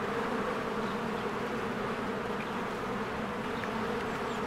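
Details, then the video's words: A swarm of bees flies in and out of a hive in spring, producing a continuous, dense humming buzz. Only a couple of faint distant bird chirps break through. "1 Hour of a Beehive ASMR"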